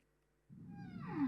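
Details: Whale song played back during a talk on marine animals; after half a second of silence a tonal call rises in, with bright harmonics and a long descending sweep that settles into a steady pitched tone at the end.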